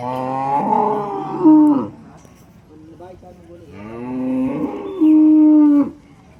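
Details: Holstein Friesian cows at a cattle market in Loni, 10 June 2026: two long, deep, harmonic-rich moos, each swelling and ending in a steady, flat, louder tone, with a pause between them and faint crowd murmur.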